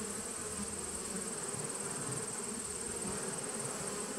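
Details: Steady droning buzz of honey bees from a small nuc colony, recorded 19 September 2018, continuous low hum with slight flickering texture and no other clear sounds.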